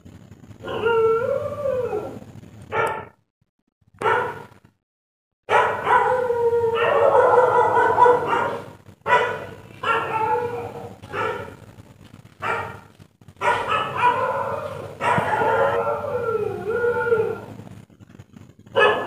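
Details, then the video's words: Barking dog at night, mixing short harmonic barks with longer wavering, howl-like cries that bend down and up in pitch, in uneven bursts with short gaps and a faint low hum beneath. "Dog Barking Sound at Night"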